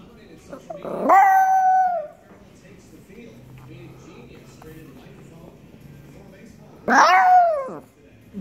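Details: A Chihuahua begging for chicken gives two drawn-out, cat-like meowing whines, each sliding sharply upward and then holding steady.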